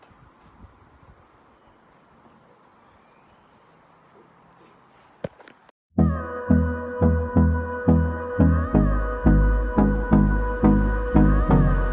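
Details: Quiet outdoor background hiss gives way after a sharp knock to loud rhythmic music with a steady plucked beat.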